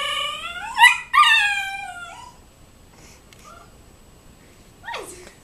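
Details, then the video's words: A 12-week-old Siberian husky puppy reacts to a turkey seen outside with two high, harmonic whining yelps. The second slides down into a drawn-out moan, followed by quiet and a brief rustling burst at the end. "Husky pup makes funny noises"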